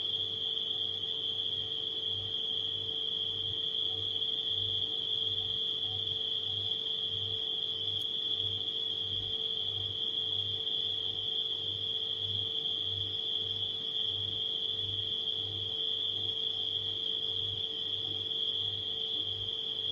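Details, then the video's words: Nighttime crickets with a steady, unbroken high-pitched trill that holds a constant pitch throughout, layered over a low refrigerator hum that pulses in regular beats of about half a second. "Crickets & Refrigerator Humming Sound"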